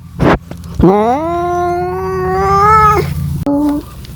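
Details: Cat yowling in search of a mate, a short sharp sound then one long nasal wail rising and holding steady for about two seconds before breaking off, followed by a brief lower cry.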